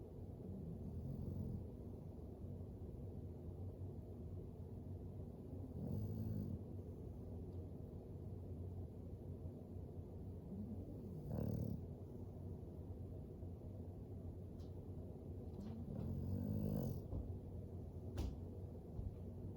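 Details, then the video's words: Sleeping beside a fire, Floyd the English Bulldog snores in low, rumbling breaths roughly every five seconds, over a constant deep hum with a few faint sharp crackles. "Four minutes of a dog snoring by a fire"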